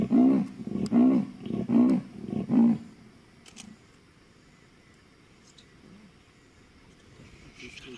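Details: Female leopard calling at sundown in Mashatu after recent rain; four deep, rasping, sawing pulses repeat roughly every 0.8 seconds, then fall silent, leaving faint night background with a soft distant sound.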